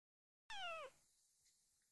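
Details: A rescued baby kitten, indoors in a home where kittens are raised to become house cats, gives one short clear meow that starts high and slides downward, lasting under half a second, followed by quiet room tone.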